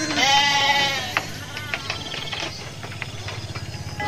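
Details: A big flock of sheep heads to the pen after a midday meal; one wavering bleat opens, then shuffling, rustling movement and faint clicks as the animals walk.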